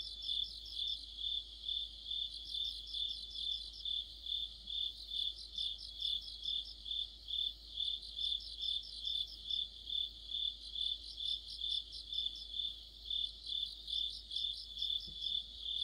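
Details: Deepening autumn night chorus of crickets and other insects beside a streetlamp; a constant shrill pulsed ringing near two beats per second, joined in bursts by rapid trilling notes from neighbouring singers.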